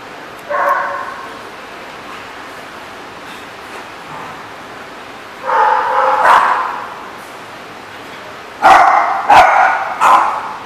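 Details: At The Barking Lot, 7/11/14, a dog gives scattered barks separated by long quiet gaps, ending with a quick cluster of two or three sharp woofs; faint background hiss.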